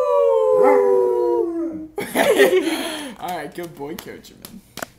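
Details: Pet dog trained over months to howl along with a fire siren: a long, smooth, slowly falling howl for about two seconds, then a wavering, yodelling tail of shorter wails mixed with people's voices.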